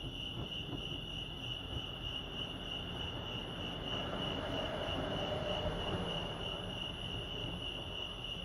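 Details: At Lake Arrowhead, California, crickets keep up a constant high ringing trill while a louder low rumble, like a passing train or vehicle, swells in the middle and fades.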